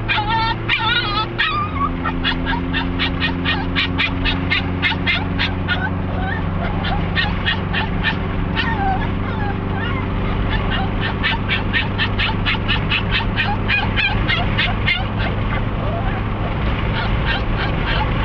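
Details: On the way to Sarah Park Dog Park in Lake Havasu City, the eager dog Cricket lets out a long, rapid run of sharp, high yips, several per second, continuing almost without pause over a steady low engine-like drone.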